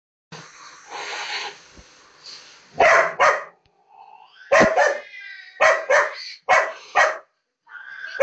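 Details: Female labrador retriever that hates cats, barking at a cat shown on a computer screen: a low grumble, then sharp single and paired barks, with a high meow-like sound from the screen in between.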